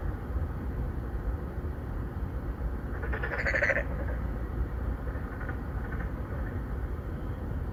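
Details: A loud, brief, harsh bleating croak from a Boreal digging frog courting females in a pond inside an apartment complex in Songdo, Incheon, South Korea, followed by fainter distant replies, all over a constant deep background hum of traffic.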